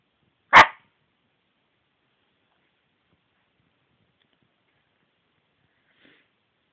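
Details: Cici the dog lets out one sharp, loud bark near the start. Near silence follows, broken only by a faint tick toward the end.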